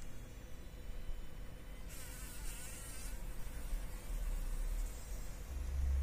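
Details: Fly stuck in a spider web inside a workshop, fighting for its life; one strong wavering buzz lasting about a second, then faint buzzing over low rumbling noise that grows toward the end.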